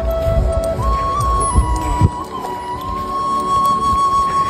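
A sustained flute-like melody plays over low rumbling street and vehicle noise, with no animal sounds.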